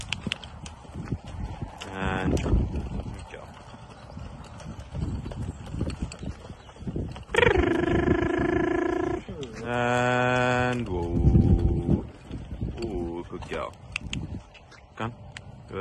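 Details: Friesian mare Heyla during long reining in her second week of backing: long, strained, harmonic calls, one held steady and a lower one quavering downward, amid a woman's soft praise and trainer's words.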